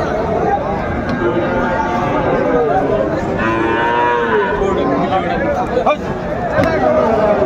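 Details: At a cattle market on 20 February 2025, Sahiwal bull calves being bought by a Dhaka farmer give a short low call early, then a clear arched moo midway, with constant babble of the crowd beneath.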